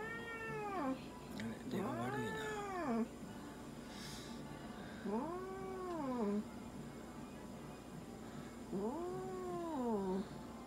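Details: Munchkin cat during a veterinary examination and blood draw, uttering drawn-out arched meows that rise then fall, about four calls spaced a few seconds apart, over quiet room hum.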